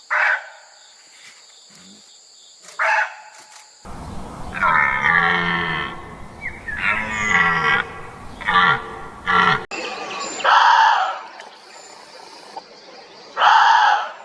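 Deer giving a series of nasal, moaning bleats, some drawn out and others short and strained.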